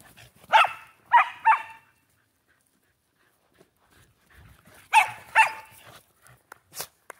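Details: Shetland Sheepdog playing with a new toy: three quick barks, a few seconds of near silence, then two more barks followed by light rustling and clicks.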